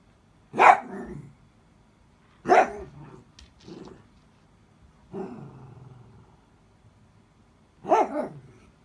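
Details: Miniature Dachshund indoors whose toy slipped under the bed, vocalising for help while glancing at the owner; four sharp yelping bursts about two seconds apart, each trailing into a softer whiny tail, with quiet gaps between.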